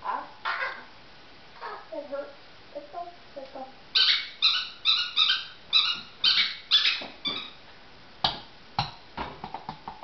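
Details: Poodle playing catch with a ball indoors. Short, high, sharp yips and barks come in a rapid burst of about a dozen in the middle stretch. Softer whining tones and scattered clicks fill the quieter start and end.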